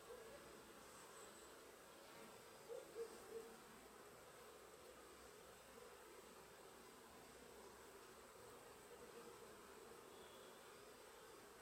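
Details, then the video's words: Pollen-laden honey bees working in Sicily give a continuous buzzing drone, briefly swelling as a bee passes close around the third second, then settling back into an even hum. "Api Siciliane al lavoro piene di polline"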